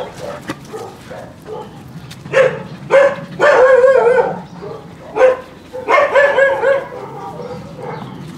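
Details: Husky kennel visit during recall training of the dog Trigger: scattered soft barks build into louder, wavering whining yelps and barks, then fade to softer calls.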